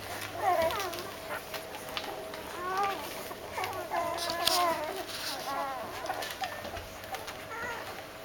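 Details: Doberman puppies woken for feeding whimper with high wavering squeals rising and falling, several pups calling in overlapping bursts, with soft rustling and a steady background hum.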